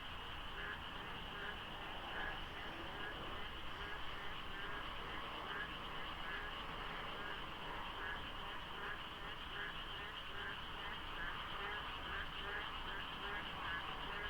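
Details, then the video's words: Dense chorus of frogs filling the dark at dawn during Korea's rainy season near the Deokso IC expressway interchange, light fog and low traffic; rhythmic, overlapping croaking pulses repeat constantly, numbers hard to judge. "장마 중인 새벽 고속도로 덕소IC에 어둠을 가득 채운 개구리 소리"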